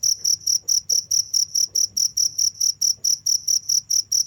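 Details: Cricket calling nonstop, high thin chirps pulsing quickly and fairly regularly, a few faint low clicks and a hum underneath.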